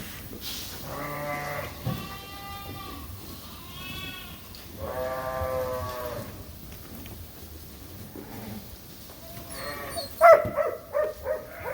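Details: Suffolk lambs mixed together in a barn after an escape; scattered harmonic bleats from several lambs with pauses between, then clattering knocks near the end.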